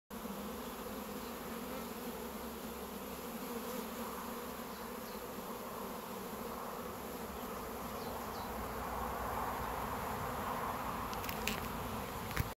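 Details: A steady, low, droning buzz from many Irish black bees humming together without pause on a farm with wildflower plantings.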